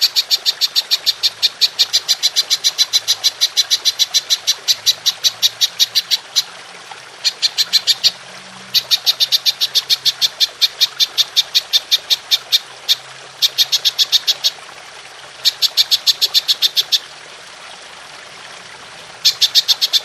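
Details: Golden grasshopper recorded as master audio for training songbirds, a long bright 'shooting' call: rapid trains of sharp ticking clicks in bursts of several seconds, separated by brief silent gaps, clear and without other sounds.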